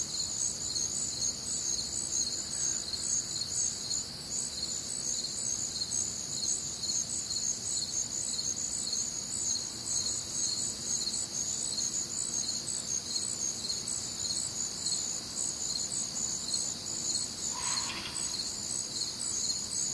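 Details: Crickets and other nocturnal sounds on a warm, humid Midwestern summer night, a continuous high chirping chorus pulsing steadily, with a brief lower call near the end.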